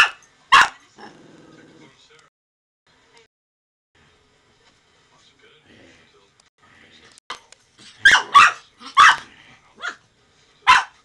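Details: Brussels Griffon named Miah during play, biting hair; a single bark opens, then a long quiet stretch with faint murmurs, before a cluster of loud, clipped barks and one final yap near the end.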